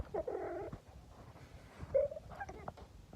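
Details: Domestic cat that behaves like a dog, making strange alien-like noises indoors: a warbling, wavering mid-pitched murmur, then a short bright squeak near two seconds and softer chirps after, over faint background hum.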